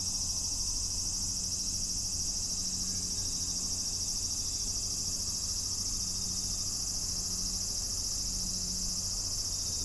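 A cicada's steady, high, hissing drone fills the air without a break.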